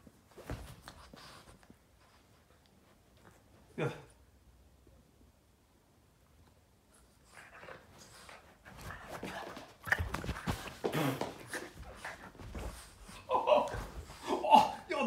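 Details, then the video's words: A Boston terrier plays with its owner's foot, giving short, gruff barks and funny snorting, grumbling noises, with a person's voice in the background. "Boston terrier playing with dad's foot *funny noises and barking 😂"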